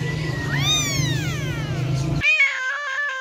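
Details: Cat meowing: one long drawn-out meow that rises then slides down over about a second and a half, over a steady low hum, then an abrupt cut to a shorter, wavering meow-like tone.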